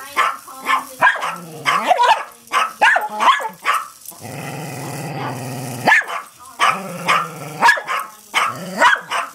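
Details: Dogs Patrick and Mia at home, barking at and flipping a Hexbug toy; quick barks, then a long rumbling growl of nearly two seconds, followed by more sharp barks.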